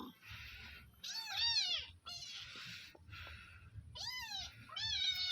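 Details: Village cat being fed sausage, giving repeated high, arched meows that rise then fall, three clear calls spaced a few seconds apart, between bursts of hissy rustling noise and a low background hum.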